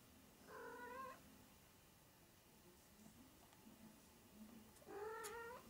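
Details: Young Maine Coon kitten aged 20 to 25 days calls twice: a drawn-out, slightly rising meow near the start and another longer harmonic cry near the end, with a quiet pause between.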